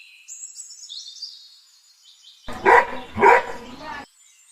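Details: A frightened Golden Retriever confronting a balloon lets out two loud, rough barks in quick succession, while thin bird twitters run faintly in the background.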